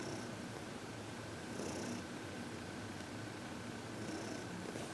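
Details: Heidi, a 14-year-old senior cat adopted from the Humane Society of New York City, purrs contentedly while receiving massage and reiki on February 22, 2021; a steady, low, rhythmic rumble runs throughout, with brief soft rustles of hands on fur.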